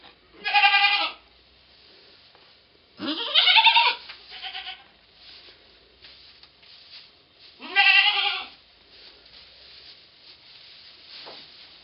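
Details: Goat giving birth to twins, recorded 2/11/11; three loud, harmonic, wavering bleats about four seconds apart, each under a second long, with quiet rustling between them.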